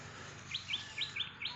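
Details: Squirrel caught in a rat trap just before release, giving a series of short, high, sharply bent chirps repeated about every quarter second, with a steady low hum in the background.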